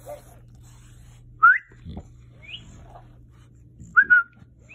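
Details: Bulldog Murph whining at a talking cactus toy indoors: short high whistled whimpers that rise or bend, in bursts about two seconds apart, with a soft low hum underneath.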